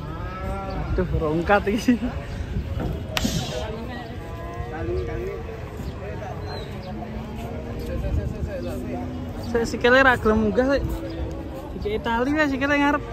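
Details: Agitated cow tumbling down from a truck while being unloaded; low, drawn-out moos hold steady for several seconds, mixed with shouting voices, background music and crowd noise.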